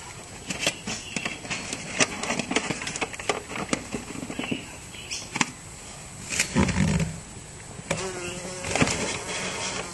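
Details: Teddy bear bee lost inside a house, buzzing in uneven bursts with a low droning hum, many sharp clicks and knocks as it bumps about.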